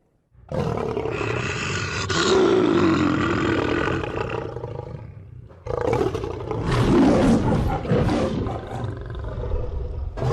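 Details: Lion roar in two long, powerful bouts, each about four to five seconds, gravelly and broadband with a strong rumbling core and harmonic overtones, divided by a sharp break.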